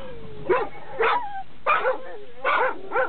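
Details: A Labrador Retriever at a dog run, noisy whenever someone approaches. Five loud, deep barks come at roughly half-second to one-second gaps, with a faint whining tone between them.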